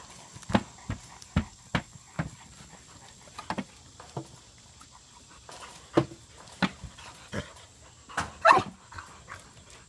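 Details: Six-month-old female Tosa Inu: about a dozen short, low, gruff bark-like bursts in an irregular series, some close pairs, with quieter gaps and a faint steady background hiss.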